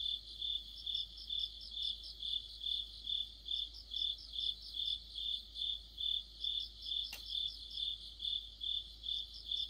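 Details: Mid-autumn cricket orchestra with insect companions near a streetlight; rhythmic high-pitched chirping repeating about twice each second, several overlapping singers, and a single sharp click late in the recording.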